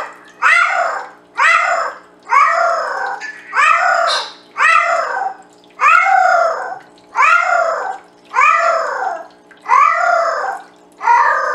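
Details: Penny the Bengal cat singing to the boys at full volume: a steady run of about eleven loud, arched meows, one roughly every second, each swelling and dropping in pitch, with brief silences between.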